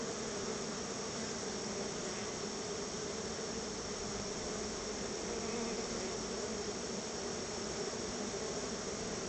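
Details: Many honey bees swarming around their backyard hive as they are fed store-bought honey as a treat; a dense, steady droning hum fills the air without pause for the whole stretch.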